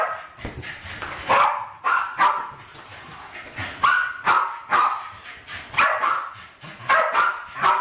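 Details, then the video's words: Two West Highland White Terriers, Alfie and Crystal, aged around 7 and 8, indoors in a kitchen in 2012, attacking balloons during play; sharp, excited barks repeat roughly once a second in quick bursts throughout. "My Westies playing with balloons!"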